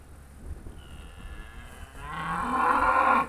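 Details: Charolais cow, one of a trained herd filmed in 2017, answering its owner's Polish calls to come. Faint murmur at first, then a loud low begins and rises in strength over the last second and a half.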